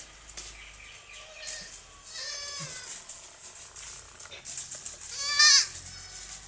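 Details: Young goats at play on a farm, jumping about: a few short high bleats, then a longer wobbling cry and a final loud quavering bleat near the end, over steady rustling and scattered knocks.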